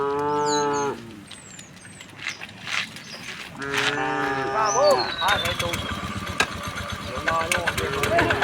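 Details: A herd of tame cows walking leisurely to a vast field in gentle morning sunlight; a short moo opens, then a second lowing call follows after a pause, amid rustling, scattered clicks and high bird chirps.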